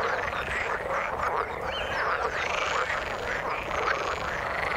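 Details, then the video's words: In the water a mass of frogs croaks at once, rough pulsing calls tightly packed with short arching notes and a few high chirps, steady loud chorus with no gaps. "Frog sound in the water"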